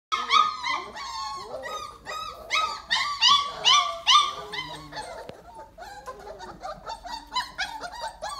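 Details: Weimaraner puppies, 28 days old, in a dog pile after breakfast, whining and yipping together: dense overlapping arched, squeaky whimpers, rapid and irregular, loud at first, then softer toward the end.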